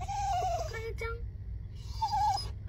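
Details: An excited Kooikerhondje, unable to wait for the dog run, gives a long wavering whine, then short lower whimpers, another drawn-out whine, with soft music and a steady low hum beneath.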